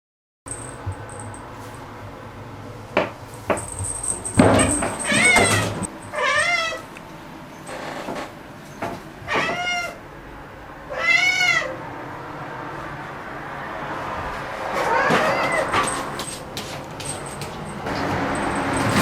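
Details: Black pet cat named Momo at home, noisily excited after finding an insect; short arched meows repeat roughly every second or two among knocks, rustling and clattering household sounds.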